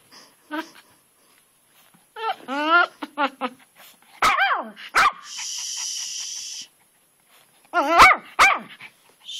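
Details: Pet dog Twitch barks at a rock in a flower bed in the rain, as if it had found a ghost: bursts of whiny, pitch-swooping barks separated by pauses, with a steady hiss and a person's voice.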